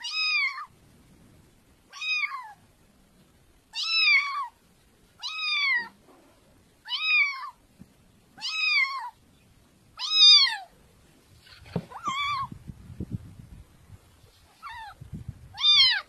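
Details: Cat meows repeated about every one and a half seconds, short bright calls that rise and fall, a soft low rustle and faint background noise near the end.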